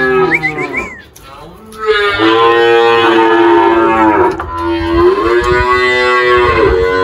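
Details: Girolando cattle at a farm in Anápolis, Goiás, Brazil, 1 March 2023: a loud, sustained moo lasting several seconds, wavering in pitch and falling, preceded by brief high chirping sounds and a short lull.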